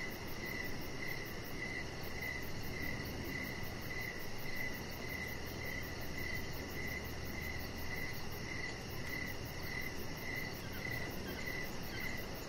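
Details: Crickets chirping outside on a deck in the evening, a chihuahua puppy nearby: steady high chirps pulsing roughly twice a second, a faster fine ticking layered above, all over a constant hiss of background noise.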